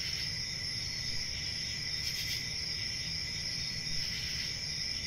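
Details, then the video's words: Steady high-pitched cricket chirping fills the recording as an even, ringing trill, with a brief louder burst partway through and low-frequency rumble beneath. "Cricket Sounds"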